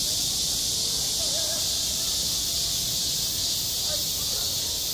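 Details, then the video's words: Cicadas calling on a school playground in high summer, their steady, shimmering high-pitched drone constant from start to end, over a soft low murmur and faint distant sounds. "한 여름 운동장에서 매미가 울고 있다 - 여름의 소리, 학교 종소리, 매미 울음소리"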